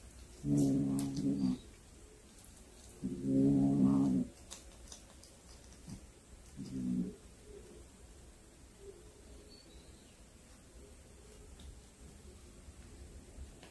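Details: Cat that has brought home a hunted snake, giving three low, drawn-out moaning yowls, each about a second long with the last one shorter, separated by quiet pauses indoors.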